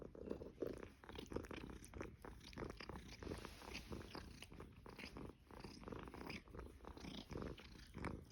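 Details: Somali cat in a Shanghai apartment on Caoyang Road, 16 May 2016, giving a soft low purr mixed with close clicking and rustling sounds, the rumble rising and falling in an uneven rhythm.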